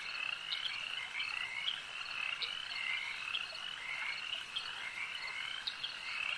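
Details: Frogs calling at a lake: a dense chorus of overlapping, rattling croaks and short chirps, with several callers at once, blending into a steady bright hum and no other clear sounds.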